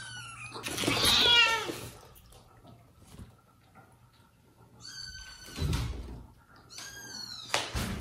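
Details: Domestic cat household where mother cat Jaco cares for her newborn kittens and foster kittens, while the father cat keeps her near them; indoors, a loud rough meow near the start, then two high, bright, harmonic mews later, with quiet room noise between.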